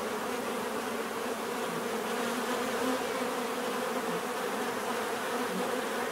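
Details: Natural bee buzzing, a thick unbroken hum of many insects, with occasional individual buzzes rising and falling in pitch as bees fly close past.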